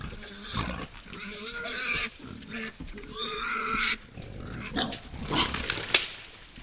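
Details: Wild boars at night at a forest feeding site, giving a run of loud, harsh squeals of a second or so each, overlapping and broken by short pauses, with rustling and snuffling between them.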